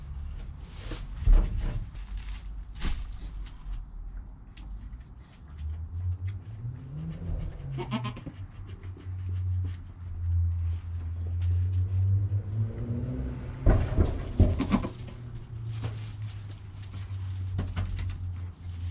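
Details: Newborn goat kid named Joel, within the first hour of life beside his calm mother Penny, filmed on a GoPro: low, wavering bleats with rising and falling harmonics stretch over several seconds, between soft rustling and sharp knocks.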